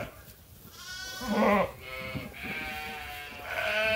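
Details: Sheep at Ewetopia Farms awaiting their feed during chores: a dense chorus of overlapping wavering bleats from several animals, none standing clearly apart.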